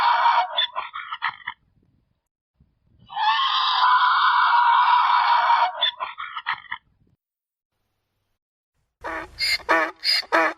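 A mule brays in harsh, honking bursts, with one long rasping stretch between choppier repeated notes.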